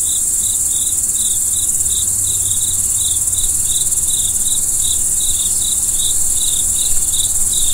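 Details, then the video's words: Chirping crickets at night, roughly two short pulses a second in a slightly uneven rhythm, backed by a persistent high insect buzz and a soft low hum. "Stars at Night BLACK B/G - Video & Audio Crickets"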